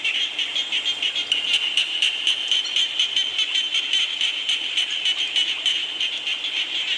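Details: Many frogs croaking together while rain falls, with a continuous high buzzing chorus broken into rapid rhythmic pulses and backed by even rain noise.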